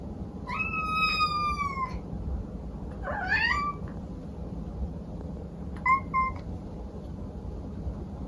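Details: Pet cat calling indoors: a long, level, clear meow lasting over a second, then a squeaky upward-sweeping yowl, and after a pause a brief doubled chirp-like mew, with a soft rumbling room noise underneath.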